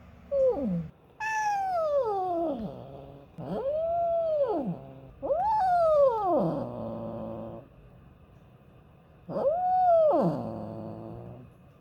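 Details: Talkative female cat voicing weird, insistent calls when she wants something: five arched meows, each rising then sliding down, some ending in a rough, buzzy tail, separated by brief pauses in a small room.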